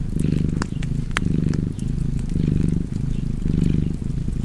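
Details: Deep rhythmic purr from a cat, about four swelling rumbles in quick succession, with crackling fireplace pops layered on top.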